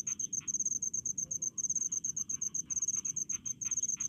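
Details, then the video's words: In a village rice field, a cricket gives quick bright chirps in tight clusters, nearly continuous with tiny breaks, some lower rustling ticks and a dull background drone. "SUARA JANGKRIK DI PESAWAHAN"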